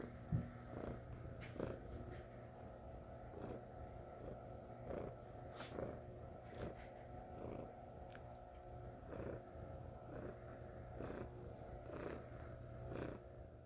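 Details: Domestic cat Stella purring loudly, a deep even rumble rising and falling with each breath roughly every second, steady throughout, over a background hum with a few light taps and rustles.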